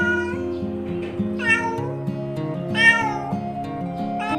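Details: Domestic cat with three drawn-out meows, each sliding upward then falling, the middle one loudest, set against continuous plucked-string background music.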